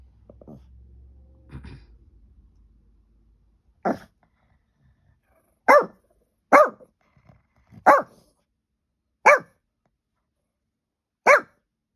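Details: Peanut, a dog, barks at nothing indoors in April 2023, recorded on an iPhone: single sharp barks spaced about one to two seconds apart after a quiet, rumbling start.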